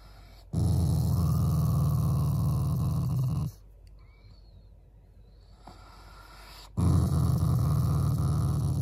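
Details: Affectionate growling from a family Shiba Inu that is not angry. Two long, low, throaty rumbles last about three and two seconds, with a quiet gap between them.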